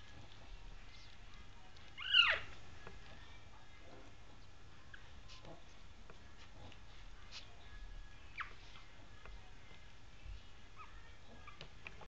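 A Yorkshire Terrier puppy gives one brief, high, squeaky yelp, then the room falls quiet.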